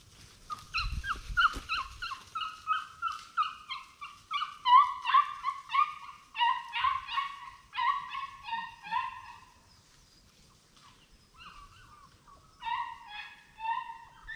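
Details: Plott Tan pups, Plott hound and black and tan coonhound mix, raised at a kennel for tracking; a long chorus of repeated nasal, wavering yelps and bays, several voices overlapping, pausing briefly near ten seconds before resuming.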